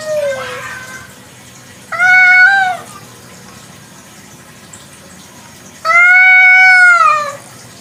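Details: Village cat (kucing kampung) at night giving two drawn-out meows, each about a second long, harmonic and slightly arching in pitch, with a faint shorter call at the start and quiet background between.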